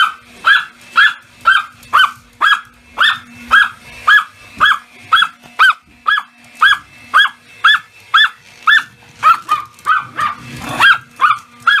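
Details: Pomeranian excited by a vacuum cleaner, lunging and barking at it: rapid high-pitched yaps, about two per second, sharp and evenly paced, with a faint motor hum underneath.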